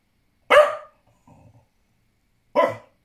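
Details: A blue Staffordshire Bull Terrier, apparently talking to birds outside, lets out two abrupt, rough, throaty barks about two seconds apart, each dropping away quickly, with a faint low murmur in the gap.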